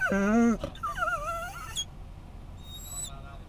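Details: Whining pet Scottish Terrier watching other dogs at an I-10 rest stop in Florida: a loud, tense, high whine that breaks off, then a softer quavering whimper that wobbles up and down before fading into faint squeaks.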